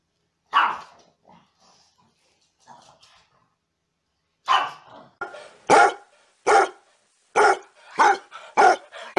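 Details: Happy dog barking out loud for fun: one sharp bark, a few faint soft noises, then from about four and a half seconds a run of loud, abrupt barks coming roughly every 0.7 seconds, quickening toward the end.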